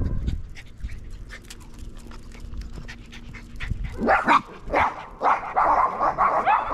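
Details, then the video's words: Pet dogs facing a neighbour's dog they dislike, recorded August 17, 2022; rhythmic breathy panting for about four seconds, then a run of loud, harsh barks. "My dogs don't like neighbor's dog"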